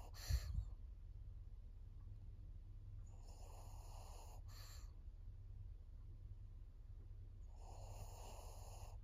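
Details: A fourteen-year-old female pug named Maria, fawn-coated, Japan, September 22, 2024: harsh rasping breaths come in long bursts roughly four seconds apart, with a short thump at the start.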